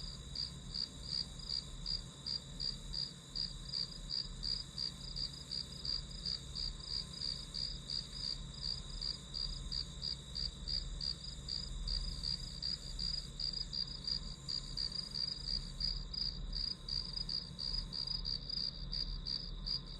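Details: Steady chorus of grass insects behind a one-hour study recording: fast high chirps, a little under three per second, briefly crowding together, above a continuous buzzing drone and low background noise.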